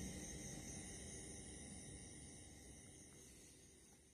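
An Indian mole cricket gives a steady, unbroken buzzing trill at night over low background rumble.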